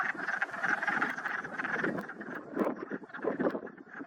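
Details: On a spring morning, a dense chorus of Wood Frogs in a pond in the Whitemud Creek valley makes overlapping low, clucking croaks like quacking ducks, running continuously with no clear gaps.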